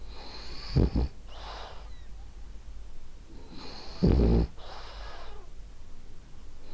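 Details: Ariva, a sleeping female French Bulldog, snores twice: short rattling low inhalations about three seconds apart, each followed by a breathy hiss of exhaled air.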